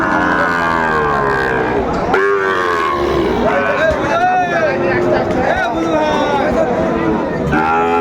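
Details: Sahiwal cattle, bull calves for sale at a Tangail market in Bangladesh on a hot 2 May 2024. Several long, bending moos sound, one swelling sharply near the middle, over a constant background of talking buyers.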